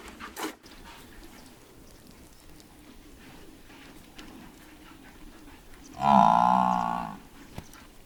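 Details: Romanian buffalo lowing: a single loud, resonant moo lasting about a second, rich and harmonic, arriving after several seconds of steady background rumble and a brief knock near the start.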